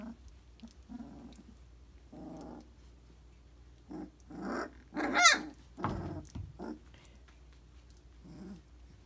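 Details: Briard puppies, three weeks old, make scattered soft growls with one sharp rising-and-falling squeal near the middle, then further low rumbles before fading into room quiet.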